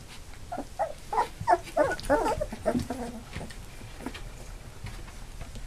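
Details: Labrador Retriever puppies nearly three weeks old, eight in the litter, now walking: a quick run of about eight whiny squeals in two seconds, then quieter shuffling and soft murmurs.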